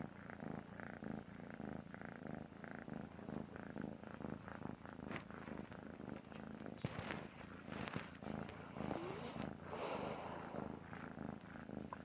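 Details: A cat asleep and snoring, its low rhythmic rasping breaths repeating about once a second, joined in the second half by scattered clatters and rustling noises.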